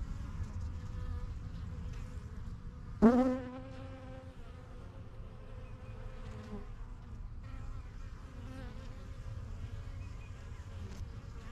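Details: Honey bees flying in and out of a strong yellow backyard hive. There is a quiet, steady background hum, broken by one sudden close buzz that swells briefly and fades after about a second.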